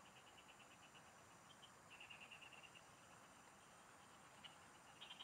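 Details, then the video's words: Frogs in the fields, heard during fishing, give sparse ticking pulses that build into a short rattling run midway, then trail off into scattered clicks over a continuous insect hum. "Pikinggan mo Ang MGA huni Ng MGA Palaka SA bukid| Relaxing Frog Singing"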